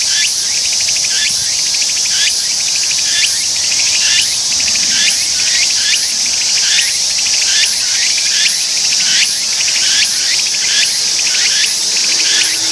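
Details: Tsukutsuku-boshi cicada (Meimuna opalifera) singing after settling on a perch, a loud, buzzy high-pitched song of pulsed phrases repeated a little over once per second, each phrase sweeping down, dense and continuous throughout.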